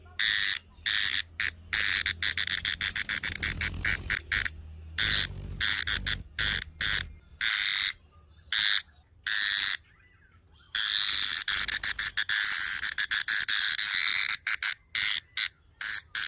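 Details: Long run of brown cicada buzzing, harsh and hissing, chopped into rapid irregular pulses with brief silences, including a longer break midway, with a faint low hum early on.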